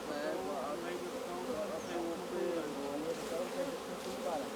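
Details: Honey bees at the hive during the honey harvest, a steady dense buzzing hum with no breaks, and faint voices mixed in.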